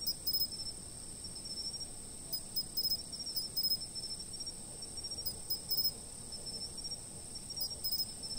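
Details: Insects singing together, filmed by a fixed camera: an unbroken shrill trill overlaid with irregular pairs and triplets of high chirps, about every second, over soft low rumble.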